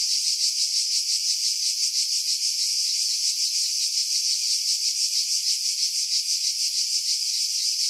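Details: High, rasping buzz of cicadas in pine trees roughly 50 m above the sea, Skiros Island, Greece, July 2018, steady and unbroken with a rapid wavering pulse near three beats a second. Filtered to strip out wind buffeting, Sony RX3 recording.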